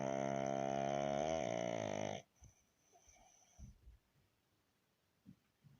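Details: Resting pug named Baron gives one loud rattling snore lasting about two seconds, its pitch sliding slightly lower. It is followed by quiet, irregular soft breaths and small snuffles.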